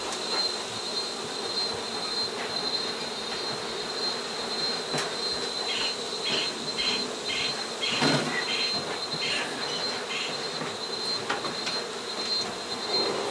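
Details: Honey bees buzzing around an exposed hive inside a shed in San Benito, Texas, during removal and relocation; steady dense hum with a constant high whine, scattered clicks and taps, and a man's voice nearby.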